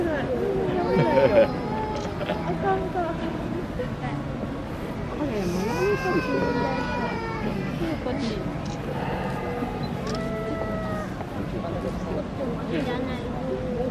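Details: At Adventure World, giant pandas Ouhin and Tohin tussle over bamboo, giving short, tonal, arching bleats around six and ten seconds into the clip, partly masked by constant visitor voices and background hubbub.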